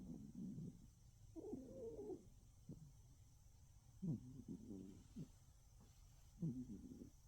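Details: Sleeping cat heard snoring in the dark, short low snorts and raspy breaths with a faint whistle, irregularly spaced roughly every one to two seconds, in an otherwise quiet setting.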